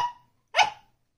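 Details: Ginger the Pembroke Welsh Corgi puppy, begging for attention during the family's dinner, lets out a single short, sharp bark after the tail of an earlier sound fades, indoors.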